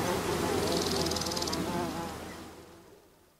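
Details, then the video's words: Close-up of one carpenter bee in flight, its dense, steady buzz filling the first two seconds before trailing off quickly into near silence as it leaves. "Carpenter Bee. CU Buzzing In Flight From A Single Bee"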